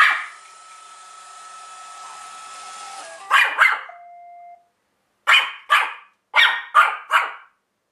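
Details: A one-year-old Pomeranian, long hostile to cleaning gear, barks at a Roomba indoors; after the vacuum's whirring stops, short sharp barks come in pairs and small clusters.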